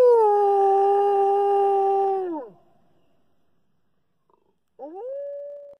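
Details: British Columbian timber wolf howling: a long steady low tone held about two seconds, then sliding down and breaking off, followed after a pause by a short rising howl.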